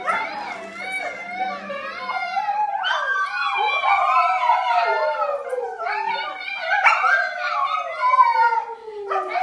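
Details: Dogs howling along as a family howls to set them off. Several overlapping drawn-out voices glide up and down in wavering slides, continuous throughout, with long falling tones toward the end.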